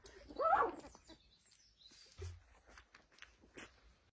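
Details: Lagotto Romagnolo puppies, 19 days old, with one giving a short high squeaky whimper that rises and falls, followed by soft faint sounds and a low thump in a quiet room.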